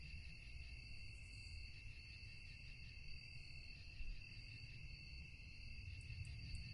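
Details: Crickets calling at night in a dense, unbroken high trill with slightly wavering pulsed texture, a few sharp high ticks at the close, and a heavy low rumble underneath.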